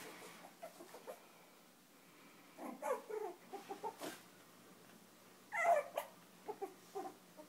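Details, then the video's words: Five-week-old Chinese Crested puppies playing and nursing while being fostered from a rescue, giving short whimpers and yips in scattered bursts, one louder squeal near the end, over quiet indoor room noise. "Puppies playing"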